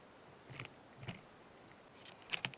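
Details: A Chinese mantis (Tenodera sinensis) eating a migratory locust, heard as faint, scattered dry crunches and clicks.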